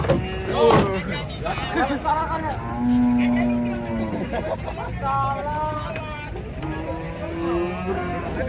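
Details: Cows unloading from a truck at market give repeated long, steady moos with rich harmonics, several animals overlapping, over rumbling vehicle noise and occasional clattering and people talking.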